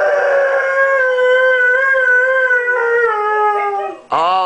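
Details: A male Siberian Husky, said to be "singing" for his owner who left him behind, gives a long, steady, tuneful howl, then starts a fresh rising one as a person urges him to sing.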